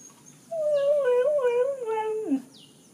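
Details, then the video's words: Denver, a nine-month-old Samoyed, howling and crying from a balcony early on a Sunday morning, wanting to go out; one long wavering mid-pitched howl drifting slowly downward, ending in a short drop, with a steady high hiss behind. "Denver, samoyed 9 months, is howling and crying from balcon"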